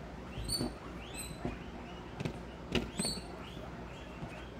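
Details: Herd of guinea pigs at Comfort Cavies at supper time, being fed vegetables: a run of loud, rising whistled squeals, each with ringing overtones, repeated about every second over a hum of room noise and soft rustling.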